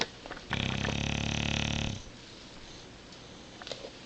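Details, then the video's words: Tank, a bulldog lost in beauty sleep, lets out a single strong buzzing snore of about one and a half seconds, a steady rattle that stops abruptly, followed by calm near-silence. "SNORING BULLDOG!!"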